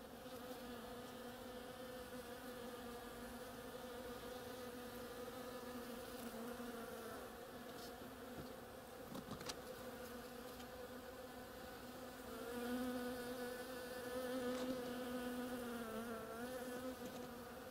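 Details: Bees busily working blossoms of an oriental creeper produce a constant humming drone; a closer bee brings a louder, slightly wavering buzz near the end, with a brief crackle partway through.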